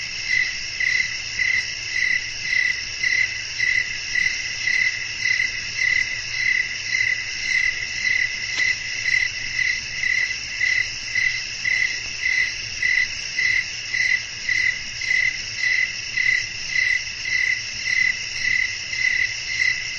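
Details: Chirping crickets in a calm night nature scene with wind. Regular pulsed chirps, nearly two per second, stand out from a shimmering continuous insect chorus. A single faint click sounds midway, with gentle low rumble underneath.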